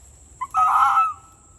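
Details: A wild fox circles a person servicing a trail camera, coming close, and gives a brief yip followed by a single harsh, hoarse bark lasting over half a second.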